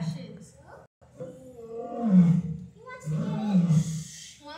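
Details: A lion at Seneca Park Zoo, Rochester, New York, on August 3, 2020, keeps making deep, groaning vocalizations in two drawn-out bursts, low and rumbling.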